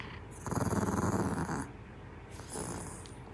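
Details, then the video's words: Maltese dog named Jaerong, a very talkative puppy, gives a low, pulsing, grumbling growl of about one second, then a softer, shorter rumble after a brief pause indoors. "말을 너무 잘하는 강아지"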